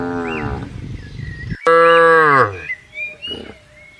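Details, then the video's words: Cattle being herded into a farm pen: a long low harmonic moo, then after a short pause a louder, abruptly starting moo that falls away, with thin chirping whistles in the background. "Moo Bunyi Suara Sapi Gembala"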